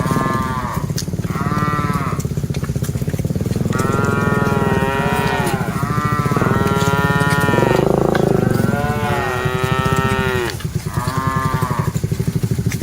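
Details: Dozens of cattle on the move while herded, calling in a near-continuous chorus of overlapping moos, some short, others long and wavering, over a persistent low engine-like drone.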